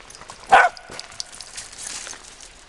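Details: A female wirehaired dachshund, playing the monkey in a game of monkey in the middle, lets out one sharp bark of frustration, then faint rustling and quiet follow.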